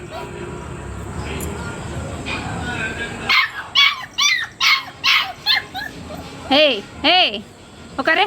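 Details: Pet Labrador puppy at home giving a run of short, rising-and-falling yips and whimpers, about two per second, after a few seconds of background noise; a person speaks commands such as "sit" over the calls.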